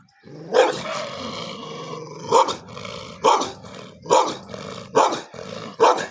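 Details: Pet dogs fighting each other: six loud, harsh barks spaced roughly a second apart, each a sharp burst, over a steady low rumbling growl between them.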